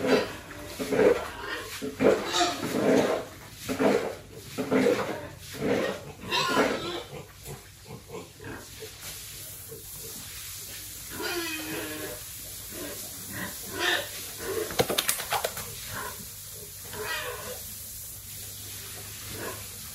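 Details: Farm-raised pigs kept for sale by a family; rhythmic low grunts repeat roughly once a second for the first seven seconds, then give way to scattered snorts, shuffling and background farm noise.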